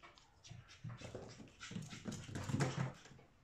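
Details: Male Chihuahua puppy born on 1 November, heard indoors: soft, rapid panting breaths with faint whimpering, in uneven bursts that grow a little louder toward the end, over quiet room noise.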